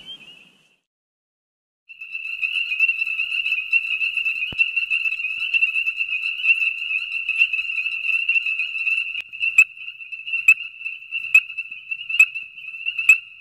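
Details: A January winter night chorus of male ornate chorus frogs (Pseudacris ornata) at breeding wetlands in the Georgia Coastal Plain: one-note metallic tinks repeated over and over, dense and continuous, advertising to females.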